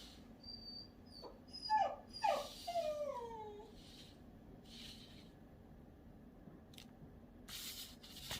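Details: Shiba Inu giving a few thin, high whines that slide downward, clustered in the first few seconds, then quiet indoor room tone with a couple of soft rustles and clicks.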